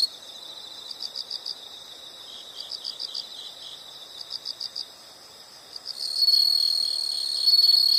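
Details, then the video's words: Insects heard as a background study sound: soft, rhythmic groups of high pulsed chirps for six seconds, then an abrupt loud continuous shrill buzz takes over. "the sound of insects"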